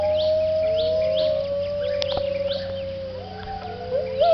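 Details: Dawn chorus of gibbons at a Thai refuge centre for rescued wildlife, early morning at sunrise: long steady hooting tones held low, with higher rising whoops echoing in the distance and a brief upward flourish at the end.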